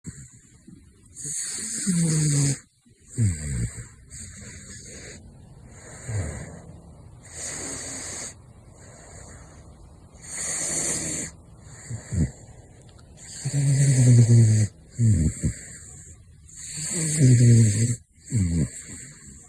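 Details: Gosha, the caracal known as Big Floppa, snoring while asleep: rasping, hissy breaths in uneven bursts every few seconds, some with a low rumbling snore at the start, separated by quiet pauses.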